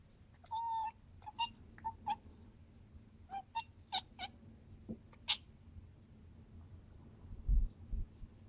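A British Shorthair cat chatters in quick, clipped chirps and short bleating trills, excited by birds.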